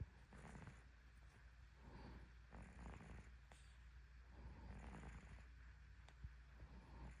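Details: Sleeping cat snoring deeply: soft, low rumbling breaths repeat roughly once a second in a steady rhythm, with a faint hiss of background noise throughout.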